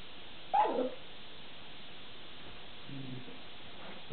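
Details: A small long-haired dachshund complaining indoors about not getting a treat from the other dog: a single quick whining yelp sliding downward, followed by a low faint grumble a couple of seconds later.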